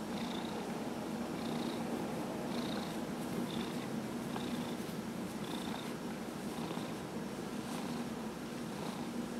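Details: Dillard, a 15-year-old domestic cat treated for small cell lymphoma, purrs steadily while receiving a massage on November 27, 2018; a continuous low rumbling drone with faint rhythmic breathy pulses roughly every second, indoors.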